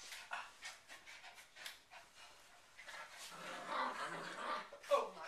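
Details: Bichon Frise, a small fluffy white dog breed, panting in quick breathy bursts for about two and a half seconds before a person's voice takes over the rest of the recording.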